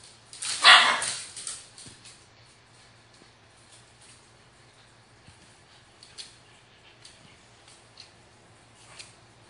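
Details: Pet dogs in a barking contest, a Toy Poodle named Cho Cho against Mimi, a Cavalier King Charles Spaniel, with Gingi the Japanese Chin looking on: one loud, sharp yap at the start, then quiet with faint scattered clicks and small yips.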